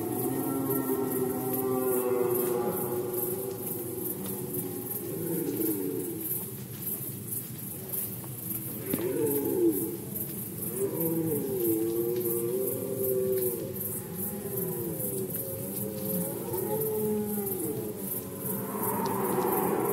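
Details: Red deer in rut season, Poland, 2020: long, drawn-out harmonic roars from several overlapping callers, some wavering and bending in pitch, with a steady fine ticking pulse high above throughout.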